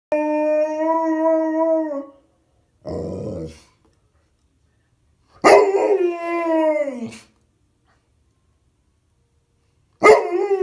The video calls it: Howling Bernese mountain dog